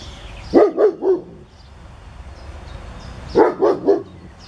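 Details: Dog barking outdoors in northern Germany on 22 June 2017, with mating plume moths nearby reacting to the noise; two bursts of three quick, sharp barks, about three seconds apart, over a quiet background.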